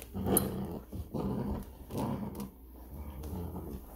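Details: Giant Schnauzer puppies and their mother playing tug with a toy indoors: low rumbling growls in bursts roughly once a second, with rustling and thumps of the tug game.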